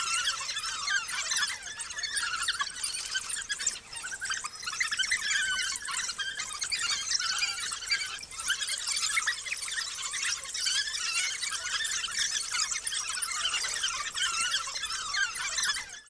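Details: Nineteen African wild dog pups being fed regurgitated food by a large pack near Skukuza, Kruger National Park; constant shrill squeaking and chattering from many young overlaps into one busy high-pitched chorus, with a faint steady tone below.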